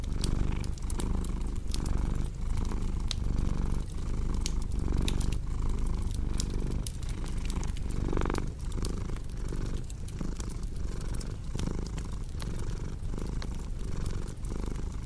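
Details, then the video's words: Steady low purr from a cat, swelling and easing with each breath about every one and a half seconds, while a cozy fireplace crackles and snaps in the background. "Purring Cat with Cozy Crackling Fireplace Sound"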